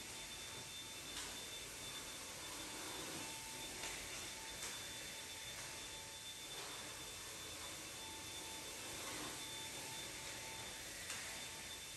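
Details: Quiet, steady hiss with a faint electrical hum and soft scattered clicks, and no animal voice heard.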